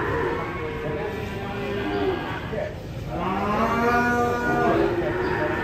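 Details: Agitated cow rampaging while being unloaded from a truck, after crashing into a motorbike; long lowing moos with stacked harmonics, one rising and falling near the end, over noisy crowd background and music.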